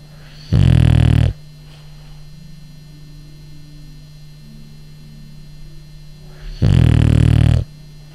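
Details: Sleeping, dreaming male French bulldog giving two long, loud, harsh rattling snores about six seconds apart, with quiet breathing and a low steady hum in between.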